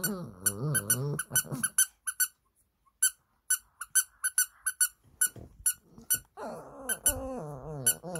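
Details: Shih Tzu; howl; responding to a toy's sound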